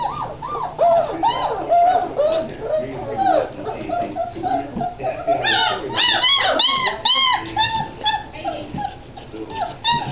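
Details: A litter of Great Dane puppies squeals and whimpers on 27 January 2009, with high arching cries overlapping one another.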